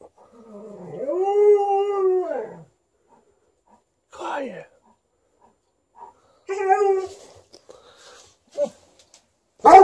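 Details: Thirteen-year-old Golden Retriever vocally demanding more petting while a Malamute objects nearby: an arched, drawn-out howl rising then falling over two seconds, a brief whine, then a shorter second howl, with quiet gaps and soft sounds between.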